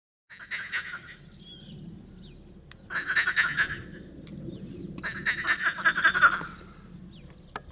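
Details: Tyrrhenian tree frog calling in three bursts of rapid, rasping pulses, each lasting about a second or more and separated by short pauses, with faint high clicks and chirps in the background.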